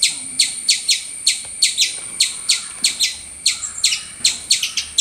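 Loud, piercing chirps from a squirrel come in a rapid, irregular series, about three each second. Each note is a bright, ringing squeak that drops sharply in pitch, with faint background hiss between calls.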